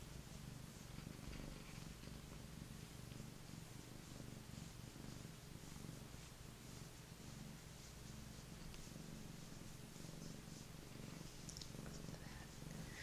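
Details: A big, fluffy, mellow rescued Maine Coon cat, once abandoned on city streets and now a lap cat that loves petting, purrs steadily in a deep, even, unbroken rumble.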